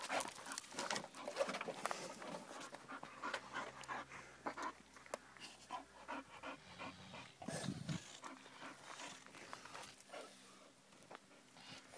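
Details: Carrying a flower pot that blinds him, a male French Bulldog puppy hesitates at the edge of the grass, panting in rapid breathy bursts that mix with rustling and scraping, quieter toward the end.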